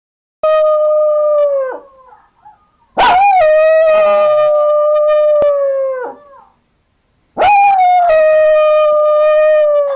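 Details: A two-year-old female pet dog howling while missing her brother, who went to the park without her, and answering a played-back recording of her own howls: three long, steady, mournful tones, each sliding down at the end, with short gaps between.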